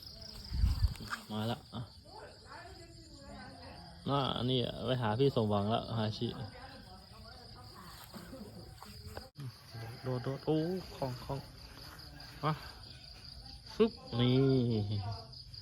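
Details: Pet cats fighting, with repeated bouts of low, vibrating yowls and growls spread across the recording, the longest in the middle and near the end, over a steady high cricket whine.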